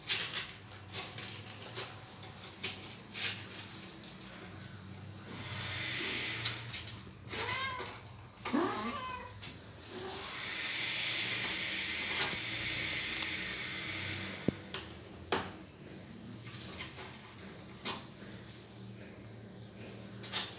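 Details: Little kitten meowing for help while its mother cat bites it; several short rising-falling meows in the middle, among rustling and scuffling noise with steady background hiss.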